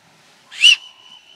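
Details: Impala alarm call aimed at a leopard during a daytime hunt in South Luangwa, Zambia, 2016, a call that ends the hunt: one loud, sharp whistle, slightly arched, fading into a thin steady tone with faint background hiss.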